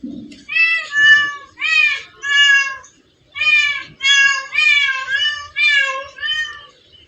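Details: Meowing from a crowd of cats in one spot: a steady series of eight or nine bright, arching meows, nearly back to back, after a brief low murmur at the start.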